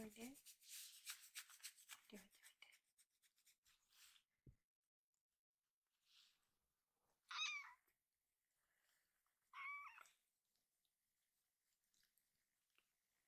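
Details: Rescued baby kitten meowing loudly to its carer for a second helping of food, its cry sounding like "iru" ("I want"); two strong, rising-then-falling harmonic meows about two seconds apart, after soft human talking and rustling at the start.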